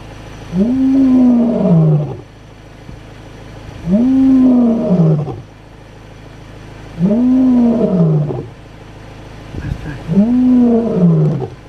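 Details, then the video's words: In the Kgalagadi Reserve, a walking lion gives deep, moaning roars, each swelling and falling, about every three seconds, probably to locate its brother nearby. "Lion roaring in the Kgalagadi Reserve"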